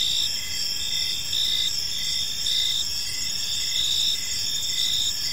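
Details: Evening park crickets forming a dense high chorus, short chirps pulsing in uneven bursts atop a constant shrill hum, with soft low-frequency noise underneath.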